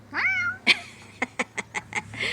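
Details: Domestic cat giving a quick rising-then-falling meow, followed by a sharp knock and a run of six or seven evenly spaced ticking clicks, ending in a soft harmonic murmur; low background hum throughout.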